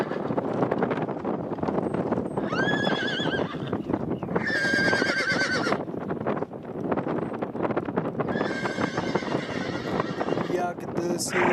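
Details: Donkey mating with a little donkey, giving several wavering, harmonic bray bursts between steady rough shuffling and heavy noise, with a brief high squeak near the end.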